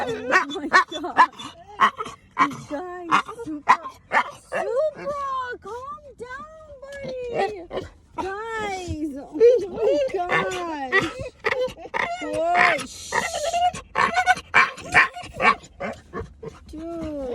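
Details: American Bully puppy, excited, making an unusual sound: a rapid series of warbling, up-and-down whines and yelps, repeated irregularly, mixed with a person talking and laughing and trying to calm the dog.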